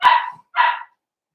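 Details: Two sharp barks from a Blenheim Cavalier King Charles Spaniel puppy, one of a litter of five born at New Year, each bright yap lasting about a third of a second with a short gap between them.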